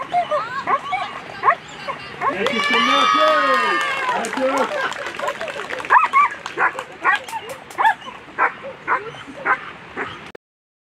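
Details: German Shepherd Ghodja von Djipy's Haus at a World Championship agility event: after a stretch of loud human voices, sharp barks repeat roughly twice a second, echoing in a large venue.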